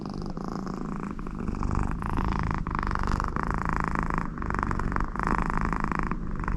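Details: American Shorthair cat named Connie purring very contentedly with her owner beside her; steady low rumbling purr with alternating breath phases, a nasal snore-like rasp riding over it throughout, quiet indoor room.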